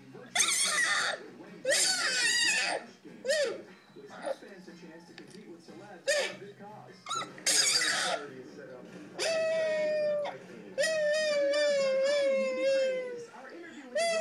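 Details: Nine-week-old male Siberian Husky puppy indoors, howling while watching a recording of himself; after several seconds of human talk, a long, steady, mid-pitched howl, then a second wavering one lasting about three seconds.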